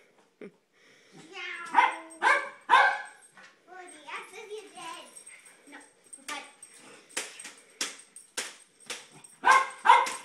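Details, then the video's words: Jack Russell Terrier excited by kids' light saber swords, barking in a room: children's chatter first, then quick, ragged volleys of sharp barks building louder toward the end, with a faint high whine. "Light saber makes dog crazy"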